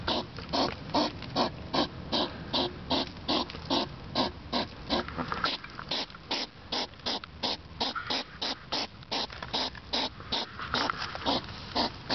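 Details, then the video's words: Outdoors in darkness at 10pm on 3 September 2009, a European hedgehog snuffles like a pig, loud enough to hear from indoors; quick regular breathy puffs, about two and a half each second, continuous throughout. "Hedgehog sniffing like a pig / Igel schnieft wie ein Schwein"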